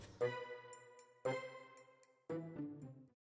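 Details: Three soft piano chords struck about a second apart, each ringing and fading, with no animal sound.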